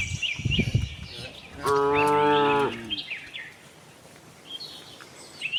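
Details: Tame cattle roaming a farm in search of fresh grass give one level, resonant moo of about a second, preceded by low rustling, while birds chirp intermittently overhead.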